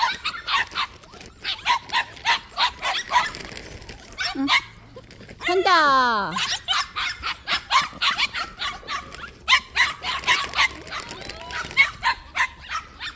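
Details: White puppies at a plum orchard, visited while given snacks: rapid, sharp yapping barks repeated many times a second in quick bursts, with a long descending whining cry midway and people talking and laughing nearby.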